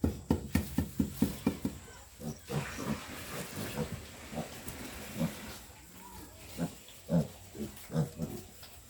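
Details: Grunting from two-week-old piglets on a pig farm, healthy and strong: a fast regular run of short grunts opening the recording, then looser, irregular low grunts and snorts over steady hum.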